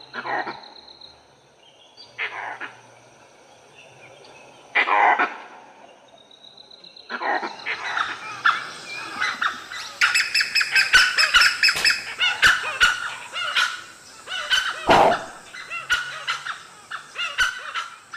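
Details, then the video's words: Ever-watchful langurs in an Indian forest give harsh, barking alarm calls rising into a frantic chorus of overlapping cries, as a pack of dholes trees a leopard. "And then, alarm calls from the ever-watchful langurs."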